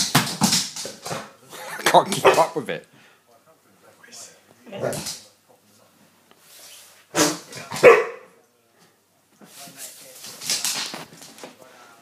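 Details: Huntaway dog reacting to a whoopie cushion: loud, harsh barks come in bursts, a cluster at the start, another near two seconds, then single barks around five and seven seconds, with people talking and exclaiming between them indoors.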